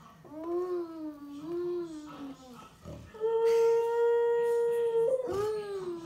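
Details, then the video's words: Five-year-old Siberian Husky Amy howls along with a baby of almost 15 months indoors; wavering cries give way to a long, steady, level howl, then a rising, falling note at the end. "Baby & Husky “Singing” Together"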